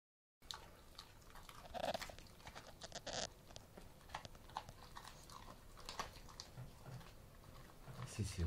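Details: An Alaskan Malamute eats a duck carcass calmly and without aggression, crunching and chewing the bones with sharp cracking bites and steady gnawing.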